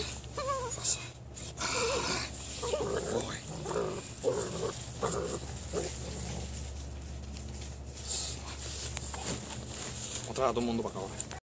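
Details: Six-week-old male Belgian Malinois puppy from KNPV working lines during bite imprinting; short harmonic growls and whining yips come in bursts between scuffling, over a steady low hum, with a faint human voice.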